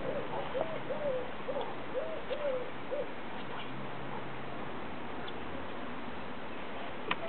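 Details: Laika, a female Siberian Husky being taught to talk on command, answers a spoken cue with a run of short, bending, moaning syllables in the first seconds, over a steady background hiss and faint music.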